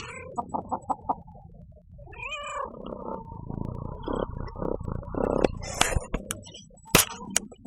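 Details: Pet female cat vocalising while being stroked, which she enjoys; a few short chirps open, then a drawn-out meow that rises and falls, followed by soft murmured sounds and scattered clicks.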